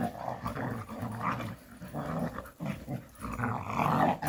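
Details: Several Jindo dogs romp and play in rural surroundings, producing continuous low, rumbling growls that rise and fall in waves with only brief pauses.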